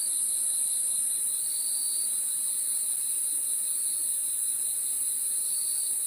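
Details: Crickets chirping after dark in a steady, ringing high chorus; the upper whine holds constant while a lower trill rises and fades in soft waves. Only insects are audible.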